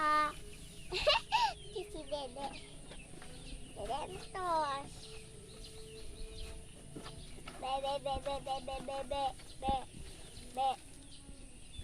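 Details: Sheep being fed alongside a child, giving several wavering, tremulous bleats spaced through the stretch, with a soft background hum, faint peeping notes and a few knocks.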